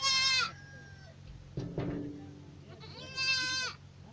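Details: Young goats (kids) bleating: a sharp, high nasal bleat, a lower, rougher cry in the middle, then another high wavering bleat, over a background hum.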